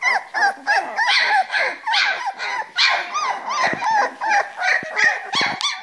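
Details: Playing Springer Spaniel pups aged three weeks in their box give continuous squeaky yelps and wavering whines, several voices overlapping, with a few sharp clicks and knocks near the end.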